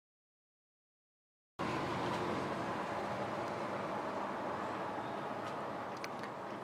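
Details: Silence for over a second, then a constant broadband hum like passing vehicles or air conditioning, with a few faint clicks.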